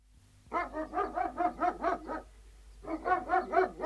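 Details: Three Alsatian guard dogs barking outdoors: a fast run of about eight hoarse, even barks, a short pause, then a second rapid run of barks with no other sounds.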